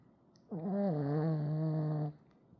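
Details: Pekingese dog asleep and snoring: one drawn-out, nasal, droning breath lasting about one and a half seconds, low and steady with a buzzy rattle, in a quiet indoor room.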